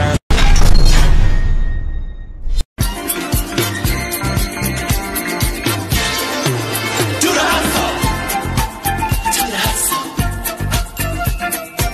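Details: Loud pop music with a driving beat fills nearly all of it, after a brief cut near the start.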